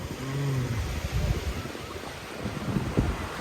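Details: Low rumbling wind and surf noise along an Atlantic coast in France, with a faint vehicle hum and possibly distant speech, and no animal calls.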